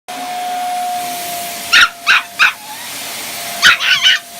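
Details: A Chihuahua puppy reacting to a vacuum cleaner gives short, shrill barks, first three in a quick burst, then a pause and a few more, over the vacuum's steady hum.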